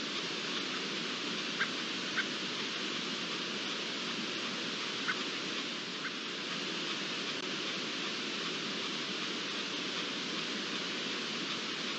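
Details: Constant hissing broadband noise with a few faint ticks is heard, and no animal voice stands out.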